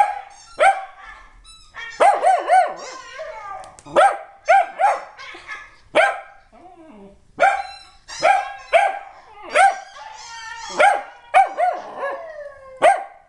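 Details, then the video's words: A corgi "sings", giving a run of short, wavering, tuneful howls mixed with yelping barks, while another dog reacts. "Toby reacts as Ed the corgi sings the song of his people"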